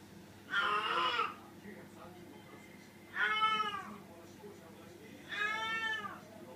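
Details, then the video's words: Female domestic cat in heat calling for a mate: three long, drawn-out, harmonic meows, each about a second, rising then falling, spaced roughly two and a half seconds apart in a quiet indoor room. "メス猫 旦那様募集。発情期"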